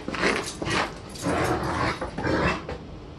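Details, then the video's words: Irish Wolfhound playing with its owner indoors. Rough, breathy growl-like bursts come about four times in three seconds, each swelling and fading, with scuffling noise in between. "Irish Wolfhound Playing with Dad"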